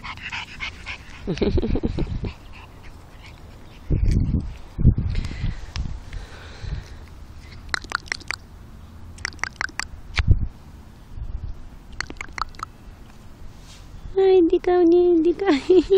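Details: Pug named Alfa: low snuffling, snorting bursts through the first half, scattered sharp clicks and taps, then a wavering, harmonic whining whimper in the final two seconds.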